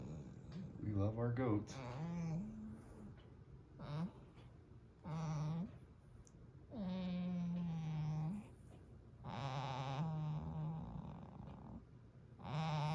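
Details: Goat resting indoors by the fire on a cold, windy snowy mountain morning, content and talking: a series of drawn-out, wavering nasal bleats of about one to two seconds each, with soft human voices in the room.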